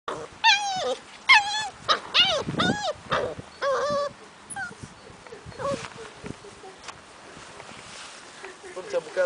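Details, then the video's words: American Akita puppies giving a series of high, wavering whimpers and whines with stacked harmonics, several short cries in the first four seconds, then fainter whines; a person speaks Korean nearby. "american akita puppies"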